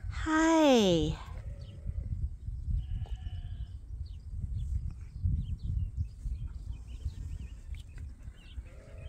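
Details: One sheep from the morning pile-up at Ewetopia Farms, as the flock waits for the pasture gate at the start of the grazing season. A single shaky bleat that falls in pitch, followed by low rumbling farmyard noise.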